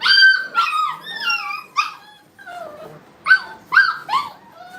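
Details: Brittany puppies at playtime in a training kennel, giving high whining yips and squeals in quick irregular bursts, each a falling or arched whimper, with short pauses between clusters.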